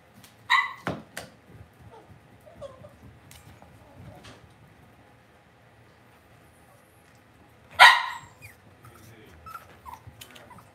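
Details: Cavalier King Charles Spaniel puppies raised indoors in a home puppy pen give two sharp, high yips, one at the start and one about eight seconds later, with a quiet room in between.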